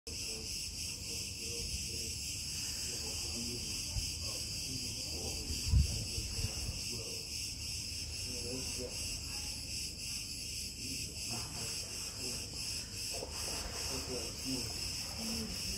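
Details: Cicadas in Crete keep up a loud, steady, high-pitched buzzing drone with a fast, pulsing texture throughout.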